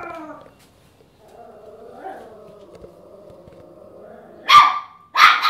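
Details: Chesster, a pet Papillon known for barking at everything, gives two abrupt, high barks in quick succession near the end. Before them comes a long, low, wavering tonal sound with faint background noise.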